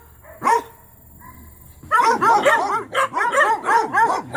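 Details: Original Mountain Cur pups in training bark at a young raccoon held in a trap: one sharp yelp, a short pause, then a burst of rapid overlapping barks and yips from several pups.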